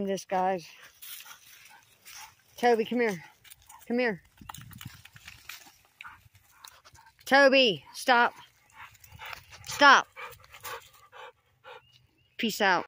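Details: Labrador Retriever Toby, struggling to swim, lets out repeated high, tonal yelps and whining barks in short bursts, each rising and falling in pitch, separated by quieter gaps with human voices close by.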